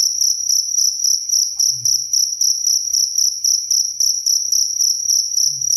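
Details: Close cricket chirping, sharp high-pitched pulse bursts repeated about four times a second, over a soft low rumble with a few faint thumps.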